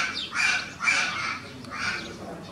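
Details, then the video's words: Twin female puma cubs, born 7 May 2018, try to wake their sleeping father Django at Plättli-Zoo, Switzerland, on 22 July 2018; three harsh, squawky chirps with a thin whistled edge come in quick succession. "パパ起きて～ ピューマの子"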